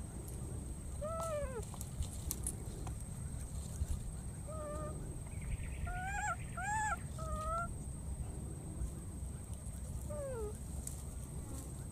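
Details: Baby monkey in the wild searching and calling for its friend near water: a series of short, arched, harmonic whistle-like cries, some single, some in quick pairs, spread over twelve seconds against low rumbling background noise.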